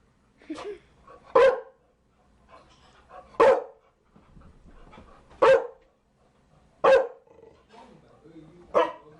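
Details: Barking Chow Chow: six loud, abrupt barks spaced about every one and a half to two seconds, each one preceded by a brief softer sound, in otherwise quiet surroundings.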